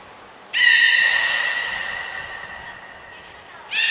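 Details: Captive belugas Hodoi, Gray, Nana and Niko at Port of Nagoya Public Aquarium during a training session on 5 June 2021; a loud, rich harmonic call of about two and a half seconds that slowly fades. A thin high whistle tone sounds partway through, and a second call begins at the end.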